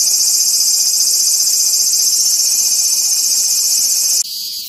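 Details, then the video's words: Cicada producing a steady, shrill, high buzz that cuts off abruptly near the end, leaving a quieter hiss. "som de cigarra"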